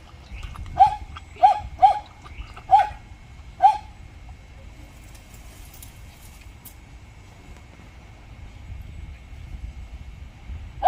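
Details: Jindo dog at a glove factory, barking amid attempts to make up after a dog fight: five sharp, mid-pitched barks in quick succession, then a long pause before a single bark at the end, over low rumbling background noise.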